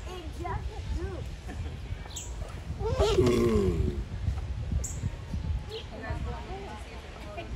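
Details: Groaning from giant tortoises during mating: one strained, descending moan with a rough start rises above low rumble, scattered faint chirps and soft background chatter.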